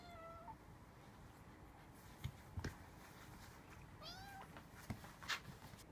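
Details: Rescued house cat, startled by its own tail while scratching its back, lets out two short meows, one at the start and a rising-falling one about four seconds later, with soft thumps and rustling indoors.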